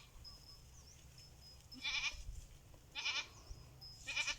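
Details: Three short, tremulous goat bleats about a second apart, the animals responding to someone calling them.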